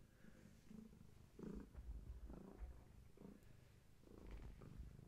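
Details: Gaia, a long-haired tabby cat heavily pregnant and close to giving birth, purring during a bedtime visit; low rumbling purr in uneven bursts that swell and fade with each breath, with faint soft shuffling indoors.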